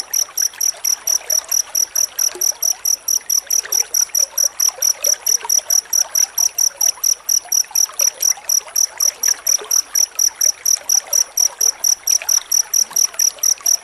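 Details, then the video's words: Cricket chirping densely, used as a tutor sound for training magpie-robins to sing: very high, pure pulsed chirps repeated steadily about twice per second without pause, over a faint trickling background hiss. "Suara jangkrik rapat untuk masteran murai batu"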